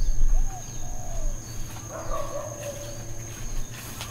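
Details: Dogs barking intermittently at Hawaiian Paradise Park, Hawaii, on Labor Day, September 2, 2024, part of ongoing uncontrolled neighbourhood barking; a few faint, distant, drawn-out barks in mid-clip over a steady low hum and a thin high insect whine.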